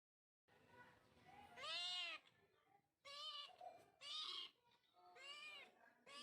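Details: Kitten meowing, four loud drawn-out mews with rich stacked harmonics, each about half a second to a second long, spaced roughly one to two seconds apart, with softer murmurs between them.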